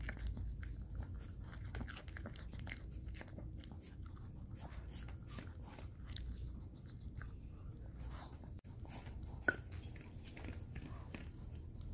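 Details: Crunchy biting and chewing in a small indoor room, with low rumbling underneath and no animal calls.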